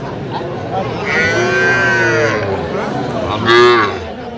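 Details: Young cattle, small bulls and heifer calves of the Sahiwal breed, bought by a farmer in Faridpur at a market on 11 November 2025: a drawn-out, harmonic moo, then a shorter louder second bellow, over a steady murmur of people talking.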